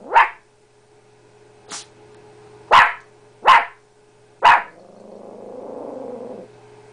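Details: Female blue heeler-chihuahua mix dog barking at her own reflection on first discovering it: five sharp, bright barks spaced about a second apart, ending in a low, rumbling growl.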